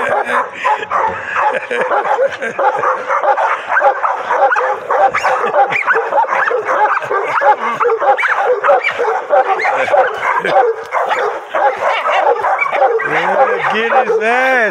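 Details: Frantic, rapid barks and yips from a pocket American Bully during its first bite sleeve session, roughly ninety-five bursts a minute in an irregular rhythm, ending in rising and falling whining cries, while handlers talk in the background.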